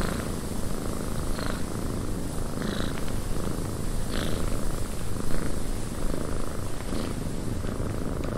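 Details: A cat purrs inside a windy cabin, a dense low continuous rumble under a constant airy wind hiss, with faint short knocks or creaks at irregular moments.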